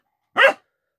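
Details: A Central Asian Shepherd Dog (Alabai) puppy, which has only just found its voice and is listening to it, gives one brief, hoarse, slightly rising bark lasting about a quarter second. A person speaks softly just afterward. Recorded 28 January 2018.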